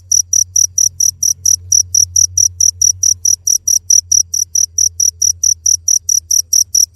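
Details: Rapid shrill chirps from a cricket repeat at an even pace of about four per second, each a short bright burst, over a quiet low background drone.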